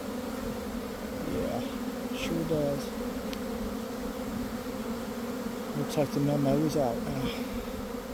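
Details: Swarming honey bees leaving a garden hive at midday as the swarm develops, heard from within: thick continuous hum layered with sliding, rising and falling buzzes of bees flying near, and faint speech in the background.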